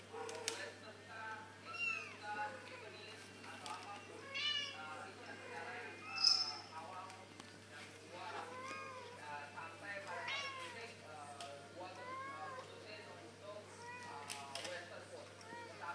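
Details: Baby kittens, newly walking, keep up a busy chorus of short, bent, high-pitched meows, repeated every second or two across sixteen seconds, with brief louder bursts in between.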